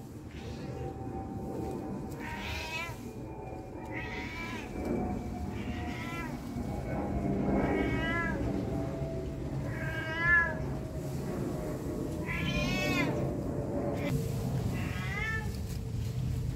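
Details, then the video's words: Domestic cat, said to meow whenever people are around, giving a series of harmonic meows that rise and fall, about six across the stretch, with steady low background hum. "Cat voice | Cat sound | Suara kucing | Kucing yang senang mengeong meow meow."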